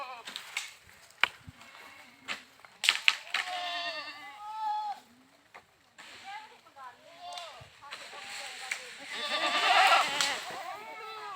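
Goats bleat in wavering, nasal cries, with sharp clicks and knocks between calls.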